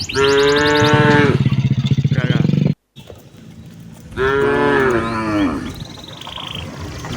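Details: Cattle walking toward their pen with a herdsman on an afternoon in the countryside, two strong, low, harmonic moos separated by a brief gap, the second fading slowly, with faint bird chirps and rustling behind.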